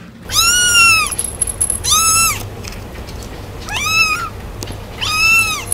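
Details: Kitten meowing in a compilation of cute cat clips: four high, arching mews about every one and a half seconds, each rising then falling, over a faint low hum.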